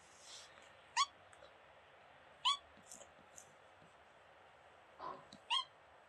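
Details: Kitten met on vacation in Greece, a very shy stray that quickly built trust, making sweet beeping sounds: short, high, rising chirps with stacked overtones, about four spaced over six seconds, faint rustling between.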